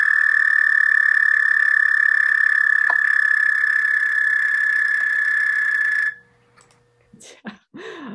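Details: A single male American toad gives its spring courtship call, a long, steady, musical trill to attract a mate before amplexus.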